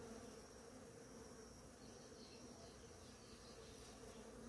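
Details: Many bees working the flowers of a blooming ora-pro-nobis, heard as a thick, steady, low buzzing hum with no pauses and a soft high-pitched tone behind it.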